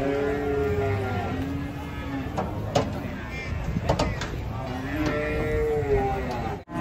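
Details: Agitated, rampaging cow coming down off a truck: two long, low, drawn-out moos, one at the start and one near the end, with scuffling knocks and excited human voices between them.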